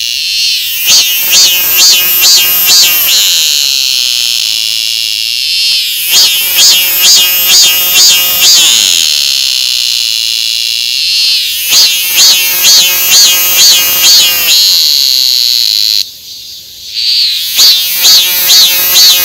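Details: Cicada calling loudly: bursts of rapid pulsed, buzzy notes lasting about two to three seconds, separated by shorter steady high whining drones, with the pattern repeating four times.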